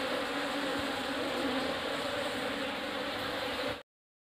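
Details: A newly arrived swarm of Asian honey bees (Apis cerana indica) in a hive box produces a rich, continuous hum of many wings that cuts off abruptly just before the end.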